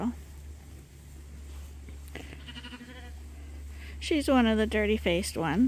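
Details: Lambs on Ewetopia Farms, still nursing from their mothers but topped up twice a day from a hand-made bottle feeder, give a few quavering, wavering bleats near the end after a quieter stretch, over a steady low electrical hum.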